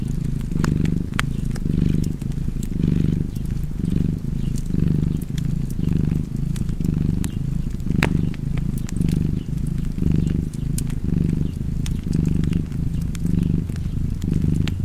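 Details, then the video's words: Long stretch of steady cat purring, deep and vibrating, cycling with each breath about once a second for around fourteen rounds, against a cozy backdrop of frequent fireplace crackles and pops. "Purring Cat and Fireplace"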